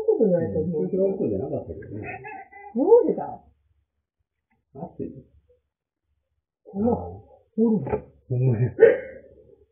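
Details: Two pet cats indoors at home; drawn-out wavering meows and a rising yowl at the start, then short meows after a pause, with a woman speaking Japanese nearby.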